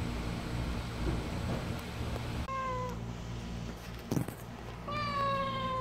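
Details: Kkamangi, a stray cat, healthy through a summer heat wave, gives two drawn-out, gently falling meows about two and a half seconds apart over a steady low hum.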